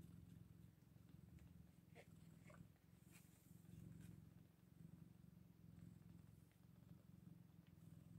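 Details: Eight-day-old Scottish Fold kittens after a litter birth; continuous low purring throbs in gentle surges, broken by a few brief squeaky chirps and light rustling.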